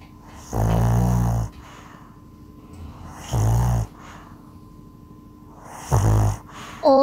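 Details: A Pomeranian and Bichon pair of dog brothers sleep soundly under a blanket, and one snores in low, rumbling breaths, each about a second long, every few seconds.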